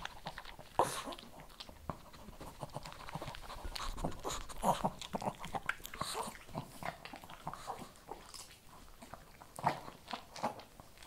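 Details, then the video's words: Shih Tzu eating kibble. Louder crunching bites arrive in bursts, with a few strong snaps near the start, middle and end, and softer mouth and breathing sounds in between. "ASMR SHIH TZU THE MOST CHEWING, RELAXING, PET, PUPPIES, KIBBLE"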